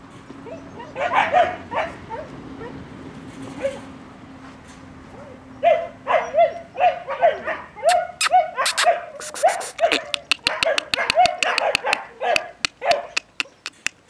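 A German Shepherd puppy gives high, thin whines and short yelps in quick bursts, with sharp clicks mixed in.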